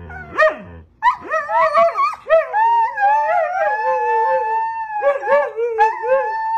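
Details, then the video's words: Crying puppies: a short yelp, then wavering, sustained whines that bend up and down in pitch for several seconds, breaking into shorter pleading whimpers near the end. "Cute Puppies is Very Cry"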